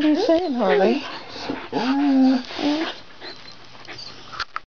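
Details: Harley, a Wire Fox Terrier, talking to his owner at the computer: a run of whiny, warbling yowls that rise and fall in pitch like speech, then quieter breathy sounds toward the end, indoors.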